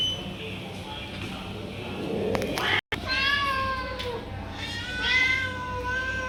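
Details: Stray domestic cats, called for food with a repeated chu chu chu sound, meowing as they approach; a low rumbling background first, then drawn-out harmonic meows, one rising and falling, after a brief gap.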